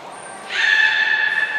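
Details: Captive beluga Hodoi at Port of Nagoya Public Aquarium, 6 January 2019, during training for gastric fluid sampling and blood draw. A high whistle note comes first, then a steady harmonic tonal call holding level for over a second.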